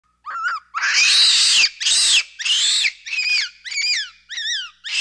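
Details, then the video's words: {'caption': 'Capuchin monkey giving about eight loud calls in quick succession. Thin arched whistled chirps alternate with longer, harsh screeching cries, each under a second long, in a fairly quiet setting.'} "capuchin’s sound"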